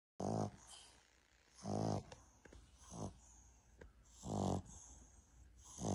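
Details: Boston Terrier snoring: loud rattling snores about every two and a half seconds, three strong ones with softer breaths between, in a quiet setting.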